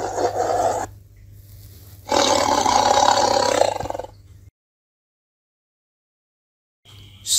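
A Bengal tiger gives two deep, rasping roars, the second longer and stronger, separated by a brief pause.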